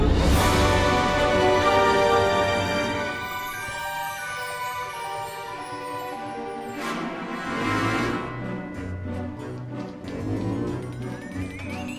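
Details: Dramatic theme music plays throughout, with swelling chords and a rising sweep near the end, and no animal voice heard.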